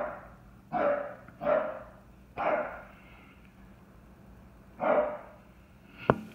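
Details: A chocolate tri merle English Bulldog goes crazy barking at a bucket knocked over by him and the other dogs: four hoarse, gruff barks at uneven intervals of about one to two seconds, then a sharp knock near the end.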